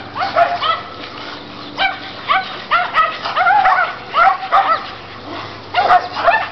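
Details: High yapping barks and yips from pet dogs, a Chihuahua and a Rottweiler among them, during an everyday play game with the neighbour's dogs. The barks come in quick bursts of two or three, with short pauses between, over faint background music.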